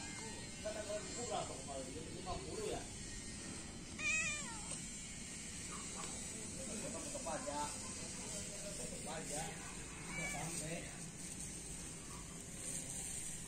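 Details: Three feral cats and one kitten at morning feeding time give repeated bending, wavering meows, some rising sharply, scattered across the clip over constant hiss and faint voices.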